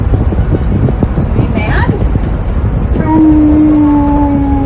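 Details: Tonka, an Alaskan Malamute riding in a car, loudly protests wearing a seatbelt; after a short squeal, a steady, slightly falling howl-like tone holds for over a second over constant road rumble.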